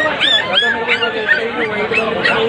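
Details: Golden Retriever puppy giving a fast series of high, thin whines, each sliding up and then down, about three per second over two and a half seconds, with a person's voice nearby.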